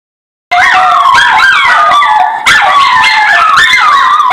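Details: Schnauzer singing: layered, wavering howls that slide up and down over one another. They start abruptly after a brief silence, hold steady and loud, and are broken by a short dip midway before continuing.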